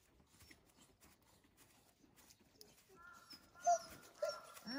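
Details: Akita dog Jun on an early-morning walk, meeting another dog named Ko: a quiet start, then thin, high whining tones with stacked overtones after three seconds, broken by two sharper yelps, with faint voices beneath.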